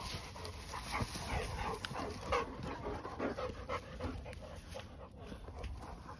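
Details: Dog named Cooper, one of a group of Cane Corso and Presa Canario dogs walking through a forest, panting in quick rough breaths about three times a second, with rustling footsteps and a steady high hiss behind.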